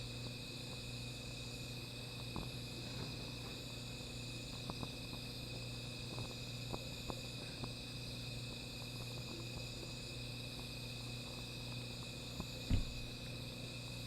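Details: Insects at night near a small fire: continuous shrill trilling that never pauses, overlaid by frequent fire crackles, a low steady hum, and a single knock near the end.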